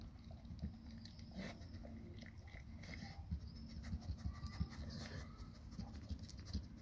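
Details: Nona the Labrador Retriever munching a huge grilled sandwich: rapid, patter-like chewing clicks and wet smacks, repeated several times a second, over low room rumble.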